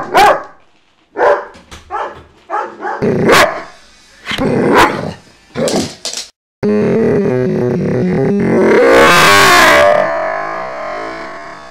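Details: Vito, a dog with a loud bark, barks in a series of punchy, irregular bursts for about six seconds, followed by a steady wash of music and noise.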